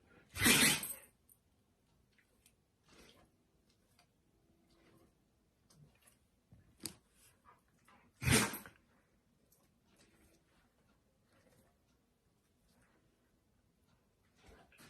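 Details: Siberian Husky sneezing indoors: two sharp, explosive bursts about eight seconds apart, with faint snuffles and small rustles between them in a quiet small room.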